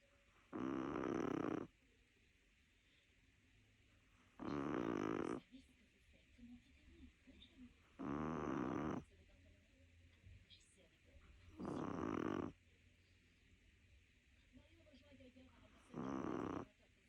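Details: Lilou, a little Chihuahua, snoring steadily: five rough, buzzing snores, each lasting about a second, recurring roughly every three and a half to four seconds, with near silence between breaths.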